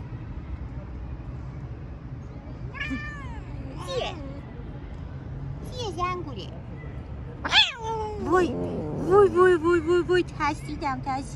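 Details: Petted stray cat on a city street meows repeatedly, short bent cries every second or two, ending in a quick run of five brief clipped mews; traffic hum underneath.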